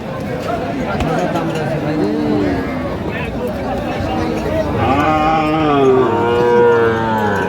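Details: Sahiwal bulls at a cattle market in Tangail, Bangladesh, on 4 March 2025: several low, drawn-out harmonic moos, some rising and falling, repeat through the clip over steady bargaining voices and crowd murmur.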